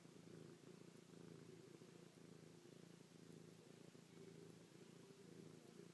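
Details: Affectionate purring from Chloe, a house cat pressed close against her owner's face, pawing and licking; a continuous low buzzing rumble with even rapid pulses and no other sounds.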